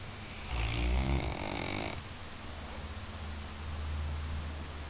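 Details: Sleeping Labrador Retriever, jokingly called the best guard dog, snoring indoors: a loud, rumbling low inhalation for about a second, then steady softer droning breaths.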